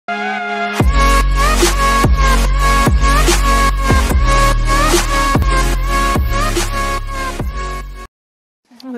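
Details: Electronic dance music with pounding bass beats and bright synth tones, cutting to near silence just before the end.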